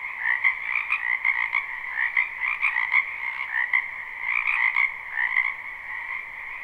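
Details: Frogs in a spring wetland, live recording: close, loud pulsed trills in quick bursts, the chorus rising and falling in short waves about every half second over a constant high drone.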